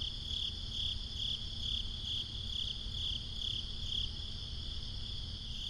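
A cricket chirps steadily at night, short high trilled pulses repeating about twice a second.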